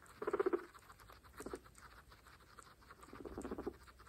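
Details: A group of pregnant female guinea pigs eating fresh grass; a rapid stuttering series of low pulsed notes opens, a shorter burst and another pulsed call follow, with crisp chewing between.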